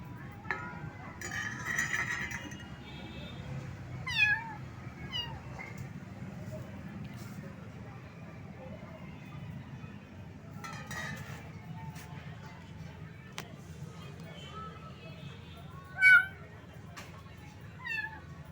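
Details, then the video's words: Little cat, found wet in the rain and shivering from the cold, giving short high meows scattered among louder background noise, with a low steady rumble throughout. "Cat's cute voice meow meow."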